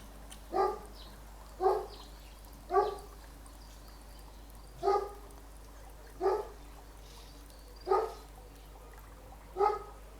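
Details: Female pet dog barking in the background, beginning as soon as recording starts beside a koi pond; single sharp barks repeated roughly every one to one and a half seconds, seven in all, with steady low background hum.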